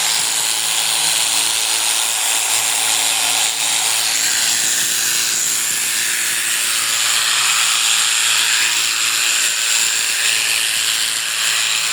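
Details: Continuous buzzing of shearing clippers with a steady high-pitched tone and humming undertone throughout, no animal calls audible.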